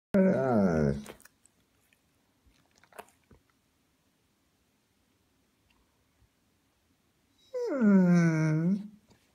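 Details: German Shepherd named Topi talking indoors: two drawn-out moaning howls with rich harmonics, the first falling then rising, the second swooping down and levelling, separated by several seconds of near silence.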